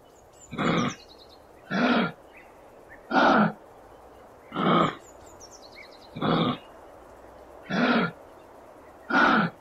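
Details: Kangaroo in the wild in Australia giving a series of harsh, breathy grunting bursts, each about half a second long, repeated roughly every second and a half at a steady pace, with faint high chirps in the background.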